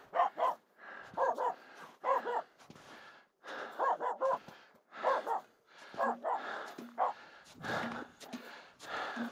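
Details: Aamu the Finnish Spitz barks in steady bursts of two or three at two reindeer walking near on a snow pack crossing up Mulen, wanting them to come closer; continuous, insistent, with faint footsteps.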